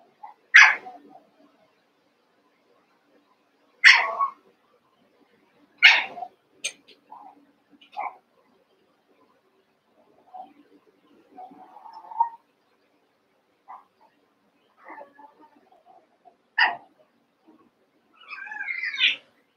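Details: Cavalier King Charles Spaniel puppies, two litters merged to eight, playing together; sharp high yaps spaced a few seconds apart, then quieter whimpers and squeals, closing on a rising squeaky whine.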